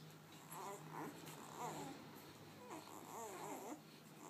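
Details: Newborn puppies, two days old, squeal softly while eating in a small room; short wavering whines rise and fall in a few separate bursts over a steady low hum.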